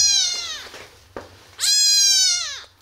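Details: Tiny kitten, abandoned in a box on the street and rescued, cries two strong high meows, the first fading downward, the second long and steady before dropping, with a brief knock between.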